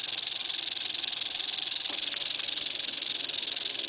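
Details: Continuous rattle of an eastern diamondback rattlesnake, a loud, even, sizzling buzz with rapid regular pulsing and a faint brief low sweep near the middle.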